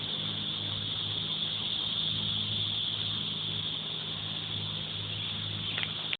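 Cicadas make a loud, unbroken high-pitched buzz that holds steady throughout.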